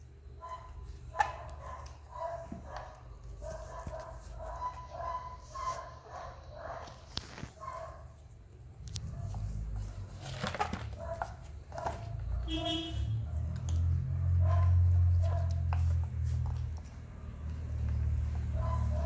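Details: Hungry Persian kitten mewing in a rapid, evenly spaced series for several seconds. A loud low rumbling noise then swells and masks the later calls.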